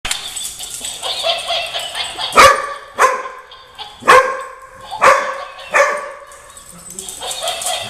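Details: A German Shorthaired Pointer, with a Weimaraner, gives sharp, loud barks at uneven intervals at a disliked laughing toy, over its steady babbling laughter.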